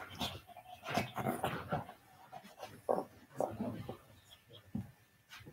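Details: Rough play between a senior Shih Tzu and a puppy, on a live cam indoors, with a steady run of low grumbling growls and short whiny yelps in a small room.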